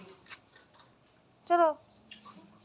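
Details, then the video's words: Mother cat who relocated her kittens to another room lets out one brief harmonic meow amid faint indoor background noise and soft human voices. "বাঁচা গুলো কে নিয়ে মা বিড়াল অন্য ঘরে গেছে।"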